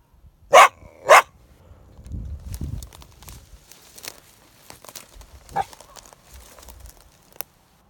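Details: Coyote caught in a live snare, giving two sharp, harsh barks in quick succession at the start, then mostly quiet with rustling, scuffing and a few faint clicks.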